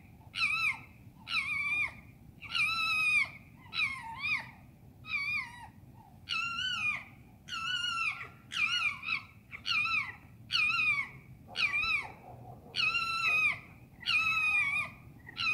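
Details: Urban foxes screaming at night in London: a steady series of short, harsh, harmonic screams, roughly one every second, each with a wavering, slightly falling pitch, against a low background hum.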